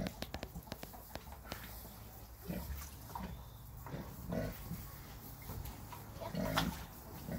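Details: Several Red Wattle pigs around six months old give soft, low grunts spaced a second or two apart. Sharp clicks and knocks fill the opening seconds, with faint hiss throughout.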